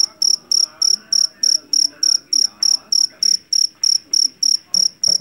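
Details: Javanese field cricket (jangkrik jeliteng) taken from a rice paddy, famed for a shrill voice. Bright, piercing chirps come evenly, roughly three each second, over a soft murmur of low background noise.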